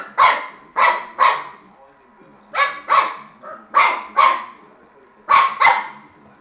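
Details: Playful Shar Pei puppy at tennis, giving short sharp barks in clusters of two or three, separated by brief pauses.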